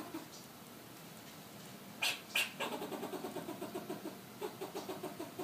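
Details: Southern California fox squirrel calling: two sharp, bright clicks, then a steady train of low, nasal barking pulses, roughly three per second, continuing to the end.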